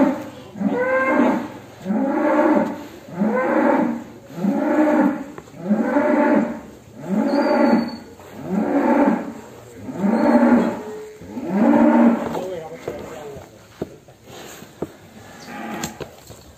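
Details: Cattle coming out of the pen, a prized bull named Damar Wulan, lowing in long harmonic moos about every two seconds, eight strong calls in a row, then quieter shuffling and faint clicks at the end.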